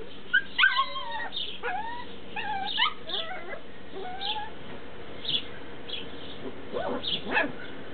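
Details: Tibetan Terrier puppies in Berlin/Brandenburg whine and whimper in a busy cluster of thin, wavering, high-pitched squeals that overlap and slide up and down, fading into sparse short yelps toward the end.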